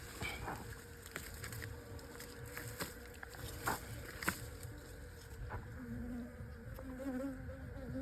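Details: Bees on a honey hunt, a steady low droning hum with faint tonal whine throughout, broken by sharp taps and clicks and brief soft human voices close by.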